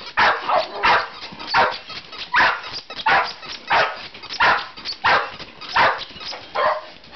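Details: Several pet dogs worked up by a small hand-held squeaker: rapid excited barks and yips, roughly one every half second, sharp and fairly high, continuing without pause.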